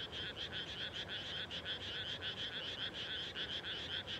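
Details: Frog chorus at dusk right after rice planting in rural Japan, a rhythmic train of pulsed, rattling croaks in quick succession, about two per second, overlapping into a continuous throb.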